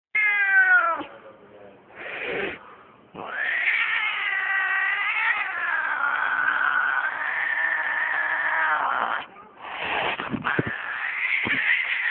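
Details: Domestic cat caterwauling: long, loud, wavering yowls with stacked harmonics, rising and falling in pitch, broken by short gaps and a few harsher bursts.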